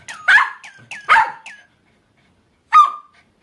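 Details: Papillon barking in time with a Francfranc bird toy, Midori-chan, sounding like it sings along: a few sharp yaps mixed with quick falling toy chirps, a pause, then one more bark.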